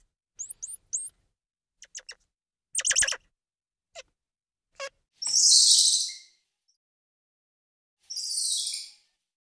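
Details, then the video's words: High squirrel monkey chirps and quick twitters, followed by two longer hissy, shrill screeches. "Squirrel Monkey Sound"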